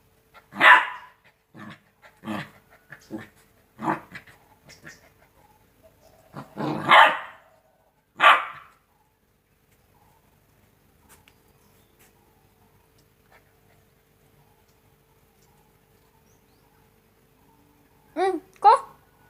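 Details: Two-month-old Rottweiler puppies play, giving bursts of rough, irregular barks and yaps, then two high yelps after a pause.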